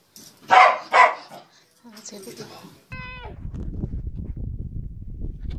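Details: Corgi giving two loud, sharp barks in quick succession, followed by faint rustling, a harmonic squeaky tone and low background rumble.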